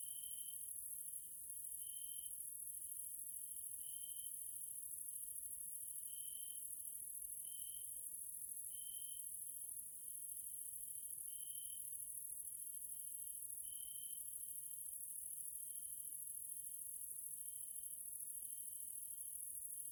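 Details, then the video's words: Grasshoppers (Caelifera) calling in the evening in a nature area in Hungary, Central Europe: an unbroken high trill pulsing louder roughly every one to two seconds, layered over an intense, even high-frequency insect hiss. "grasshoppers sounds in nature area Hungary Central Europe"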